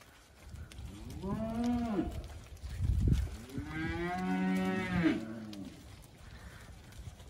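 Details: Hereford steers of a March/April drop lowing: a short deep moo, a thud, then a longer, fuller moo rising and falling in pitch over about two seconds.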